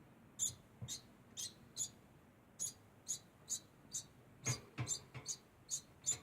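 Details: Rapid, high squeaky chirps from a degu, about fourteen in six seconds, some paired closely together, with a few low bumps and knocks in the background.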